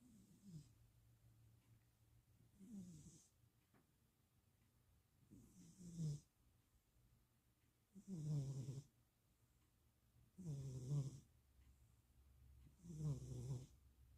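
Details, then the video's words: Stevie the cat naps in Austin, Texas, on 2026.04.07 while being cat-sat, snoring in low rough breaths that swell and fade roughly every two and a half seconds, six snores in a row in a quiet room. "napping cat. Stevie is snoring."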